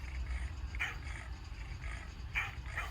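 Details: At 12:30 at night while camping in an Indian forest, a dog inside a car growls low, steadily and fiercely, a warning rumble at a leopard close by whose barking calls were heard; Dog.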